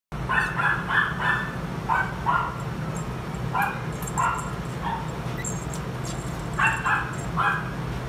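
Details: Brown male Toy Poodle born 1 June 2019, at a pet shop. Short, sharp yapping barks in irregular bursts, about a dozen over several seconds, over a steady low hum of background noise.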